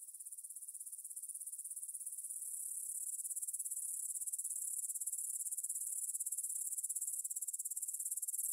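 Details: Grasshoppers calling in the evening field near the Svensky monastery, Bryansk, Russia, 6 September 2020 at 9 pm, Tascam DR-44WL; high-pitched, sizzling trill beating in rapid, regular pulses, gently rising and falling in volume.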